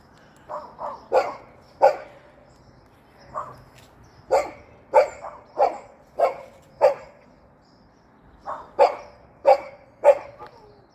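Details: Golden retriever hopping about, giving short, sharp barks in loose irregular bursts, about fourteen over eleven seconds, each a quick clipped yap, with quiet surroundings between them.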